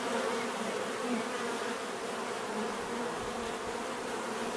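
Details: Bees give a thick, steady buzz, with overlapping wingbeat tones wavering slightly in pitch, loud and continuous across the whole short stretch.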